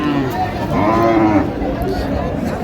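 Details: A cow with her calf at Raniganj cattle market, Dinajpur, on 20 October 2025. A short, low moo rises and falls, partly covered by men bargaining nearby and crowd chatter.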